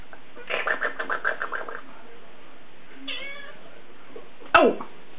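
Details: Two angry cats quarrelling: a rapid series of about ten harsh yowling pulses, a drawn-out wavering yowl a second later, then a sudden loud bang followed by a sharp falling scream.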